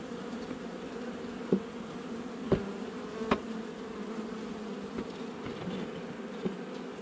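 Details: Hive inspection on 8 July 2020 of a honey bee nuc set up a little over a month earlier: a steady, humming buzz of the colony, broken by a few sharp knocks about a second apart.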